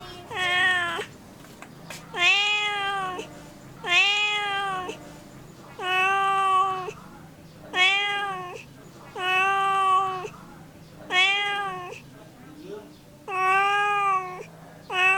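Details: Domestic cat meowing repeatedly, eight drawn-out harmonic meows about every two seconds, each rising then falling, with a steady low hum in the background.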